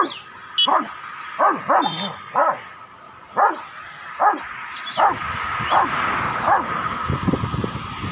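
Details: Tyson, a Rottweiler, acting aggressively toward a cow, gives sharp barks at an uneven pace, with a short high yelp near the start. Barking fades into rough broadband noise toward the end.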